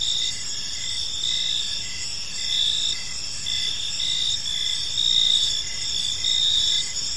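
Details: High ringing cricket chorus on a park evening, several layered trills with pulses recurring near once a second, steady level throughout and quiet low background noise.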